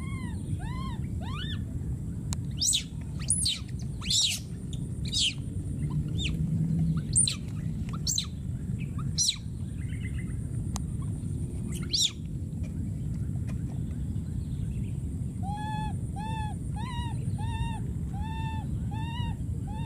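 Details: A wild baby monkey screaming and calling for his friend: a few arched cries at the start, then sharp clicks and knocks, then a quick run of short, repeated rising-falling calls near the end over low rumble.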